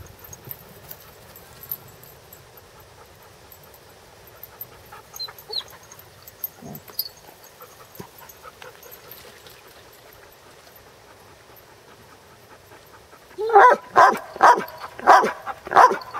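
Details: Near silence with faint shuffling, then a Basset Hound at play gives five loud, hoarse, rough barks in quick succession, each short and punchy.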